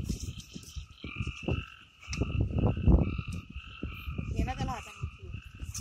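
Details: Amboli hills forest in Sindhudurg: frogs give a fast run of low, rattling croaks that peak near the middle, over a continuous two-toned ringing chorus from other forest creatures.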